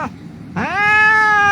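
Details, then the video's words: An injured rescued cat, crying as medicine goes on its wound, gives one long meow that sweeps upward and then holds steady and strong to the end. "The cat was lying on the street crying"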